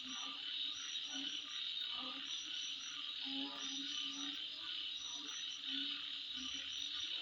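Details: Unbroken shrill insect drone at midnight with thin rapid chirps layered above and scattered short low croaking notes below.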